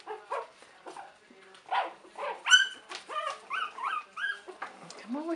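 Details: Buttercup's three-week-old puppies, recorded in 2015, produce repeated high yips and whining squeals, arched and falling in pitch, roughly several per second, while a person coaxes them to come and play.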